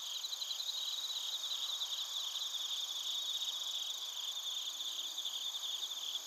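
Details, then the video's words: Bell crickets and other crickets massed in Narita, Chiba Prefecture, Japan, taped on a TASCAM Portacapture X8: layered high-pitched trilling merges into a continuous buzzing chorus, with small flickering pulses throughout. "スズムシとコオロギの鳴き声 - Chirping of crickets"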